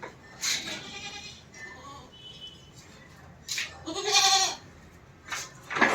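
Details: Barbari goats kept on a rooftop farm while slotted angle cages are built for them; short wavering nasal bleats come in bursts, the loudest near the end, with clatter and a voice in between.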